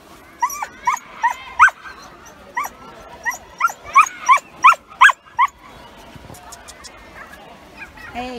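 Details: Yuki, a Samoyed male thrilled at a UK seaside on a hot day, gives a run of about a dozen short high yelping whines in quick succession. Quieter beach ambience follows, then a low whine at the end.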